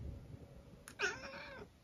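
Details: Eric, a senior tabby cat from England, gives a single short meow at home, a harmonic-rich cry that starts bright, holds briefly and fades out, in a quiet indoor room.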